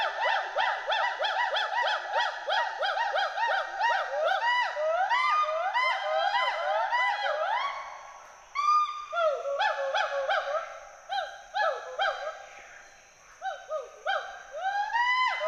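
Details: Two endangered Western hoolock gibbons playing, climbing and swinging through forest trees at Hollongapar Gibbon Sanctuary, Assam, give loud, rhythmic whooping hoots rising and falling in quick repeated series, social and territorial calls echoing through the forest.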